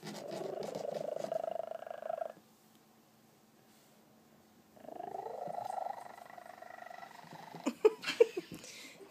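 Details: A male Maine Coon cat gives a very loud, rough, rattling purr in two long stretches separated by a brief quiet pause. It shows he is content and happy, and a few soft clicks follow near the end.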